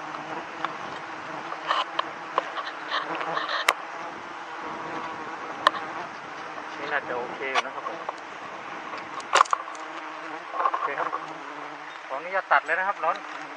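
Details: Giant honey bees at a wild nest being harvested for fifth-month honey in Thailand, the nest's honey not yet capped. A steady low droning buzz runs throughout, with a man talking over it and a few sharp knocks.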